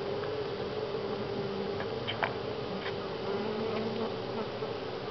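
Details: Constant swarming hum of honey bees at Grass Lake Sanctuary in week 6, July 25, 2011; an even, layered drone with a few faint ticking knocks near the middle.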